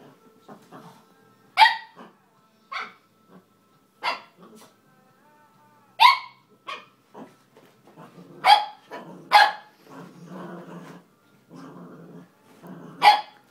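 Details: Cavalier King Charles Spaniel puppy named Griffin barking at its own reflection in a mirror indoors: sharp, bright yips in irregular bursts, about eight over thirteen seconds, with soft scuffling and small whines between them.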